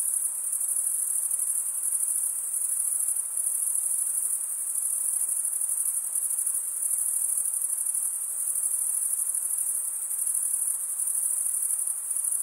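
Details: Steady cricket chorus of chirping made by stridulation: an unbroken, shrill, high trill holds at constant loudness for the whole stretch over a soft background hiss.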